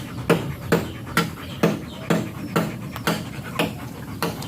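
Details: Rapid, regular panting from a German Shepherd at a stud session in Nalsian, Manaoag, Pangasinan, each breathy burst arriving about twice per second over a low background hum.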